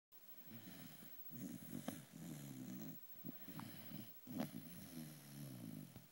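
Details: Lola, a pet beagle, snoring while asleep indoors: low, rumbling breaths in long rasping bursts of about a second each, separated by brief quiet pauses, with a few faint clicks.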